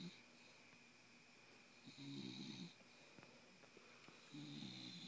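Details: Bulldog named Miss Piggy, wide awake yet snoring indoors: two rough, low rasping snorts around two and four and a half seconds apart, each with a higher wheezy hiss, over a steady faint hum.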